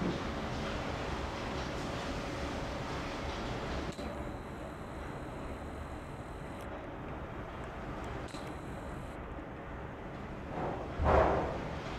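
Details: A steady broadband rumble like a passing vehicle or train fills the recording, ending in a brief louder swell, with no animal voice.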